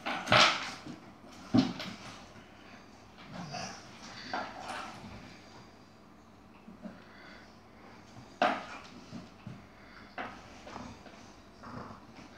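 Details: Chihuahua Yogi scuffling with an Airedale indoors; a few loud barks stand out early and around eight seconds amid quieter growls and rustling.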